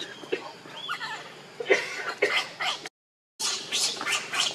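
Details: Baby monkey named Leo, hungry and crying to beg his mother for milk: short arched squeaks near the start, then harsher broadband squeals around the middle and after a brief gap, over low background chatter.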